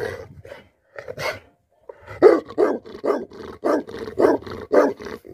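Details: A livestock guardian dog in a cow shed barks in deep, rough bursts, several each second after a brief pause.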